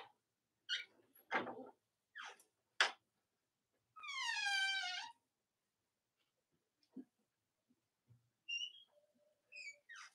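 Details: Cavalier King Charles Spaniel puppies from Robin and Myra's litters, indoors on a chilly Monday morning near Halloween. A long drawn-out whine slides downward and rings with overtones, set among short squeaks and faint chirps.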